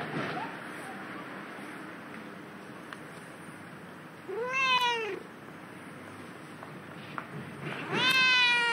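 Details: Two clear, arching meows from a cat, on this day found away from its usual spot, the second longer and rising, with faint background hum between them.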